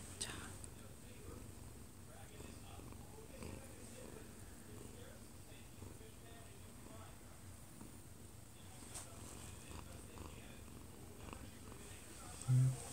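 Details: Odd-eyed Munchkin cat, one year and two months old, purring while falling asleep in its owner's arms, recorded close up; a soft, steady low rumble runs throughout, with a TV broadcast faintly audible from the living room.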